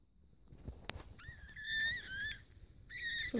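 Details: Newborn male Biewer Yorkshire Terrier puppy, first of the litter, just born on 31 March 2015 at a breeder's: thin high squealing whines, one long wavering cry with a slight rise, then a second squeal after a brief pause.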